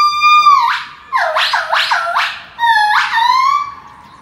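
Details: Monkey in Macau giving loud harmonic wailing calls: a sustained note that drops in pitch, then a rapid run of swooping downward notes, followed by another long call that dips and rises again.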